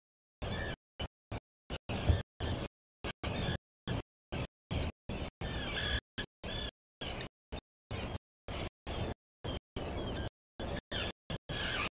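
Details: Choppy bursts of broadband outdoor noise, like wind on the microphone, with silent gaps between them and no clear animal call.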